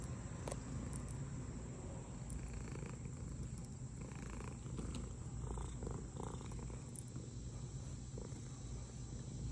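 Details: A pet cat purring steadily while hanging out with another cat indoors; a continuous low rumbling throb dominates, with faint rustles and small clicks above it.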